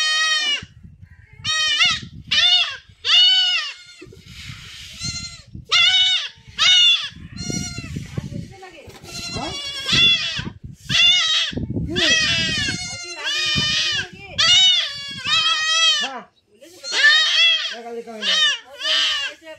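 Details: Goat being castrated with a blade in a village, bleating in loud, harmonic, wavering cries repeated in quick bursts, with a man's speech and handling noises between the calls.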